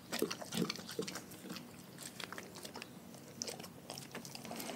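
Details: Raw food crunched by pet dogs: a few loud, wet bites open the stretch. Quieter, rapid gnawing and smacking follow, about two to three small crunches per second, fading softer toward the end.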